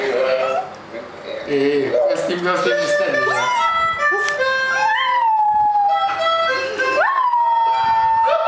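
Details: Dog howling with a harmonica being played. A held, falling howl and a later sliding rise blend with the harmonica's notes, and short voice-like sounds come early on.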